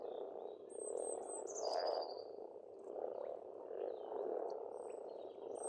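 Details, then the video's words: Frogs in spring at a pond on an Estonian farmstead, a dense, continuous croaking chorus that swells and fades in waves, with a few thin, high whistled bird notes drifting above. "Расслабляющее пение птиц и лягушек, весна, природа."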